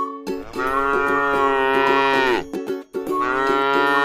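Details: Tame cow grazing on grass in a rice field gives a long, deep, harmonic-rich moo of about two seconds that falls at the end, followed by the start of a second moo. Faint clicking sounds run through the calls.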